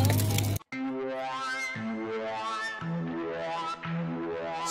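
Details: Synthesized melodic music with sustained stepped notes after a brief loud burst; no animal sounds.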